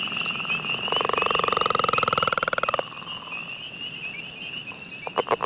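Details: A northern leopard frog gives a chugging call: a long, rapid rattling snore of low pulses, then a few short grunting clucks.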